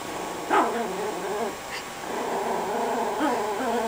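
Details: Growling steadily, the Chihuahua Lilo defends the bone she is chewing while tucked into a couch as someone tries to pet her. The snarl sounds like a revving motorcycle, wavy and continuous, with a brief higher whine near the start.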